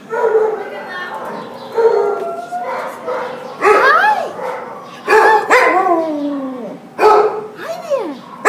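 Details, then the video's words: A Border Collie Husky mix is recorded at the pound, December 27, 2014, giving wailing cries. Each rises into an arching, mournful tone and falls away, repeated every second or two, with short breathy yips between them. "Border Collie Husky at the pound WAILING"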